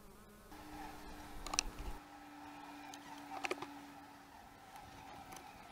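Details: At the hives on March 25, 2015, one bee holds a steady low buzzing tone for about three seconds over a quiet colony hum. Brief clicks and knocks interrupt it.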